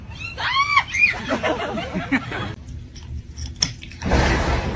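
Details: Domestic cat giving two short arched meows, rising then falling, within the first second, followed by scattered crunching and rustling noises and a closing burst of broad hissing noise.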